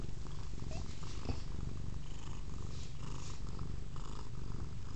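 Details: Velvet, a female house cat, purrs close to a Kodak M1033 HD camera, a dense low vibrating rumble running without pause, with faint higher rustles above it.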